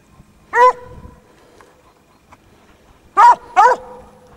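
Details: Basset Hounds working a scent trail, several dogs present. One loud, deep bay is followed by a pause of over two seconds, then two more bays in quick succession, each full and ringing.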